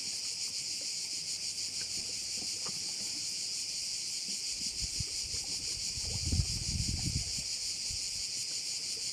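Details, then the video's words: Steady shrill pulsing chorus of crickets at a bay in Korčula, with a louder low splash or rumble of water rising near the six-second mark before fading. "View of one of the bays in Korcula with sounds of crickets"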